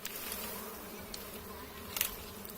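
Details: Buzzing of giant honey bees around a hive being harvested for honey, July 2023: a continuous even drone with faint high clicks and rustles, no voices.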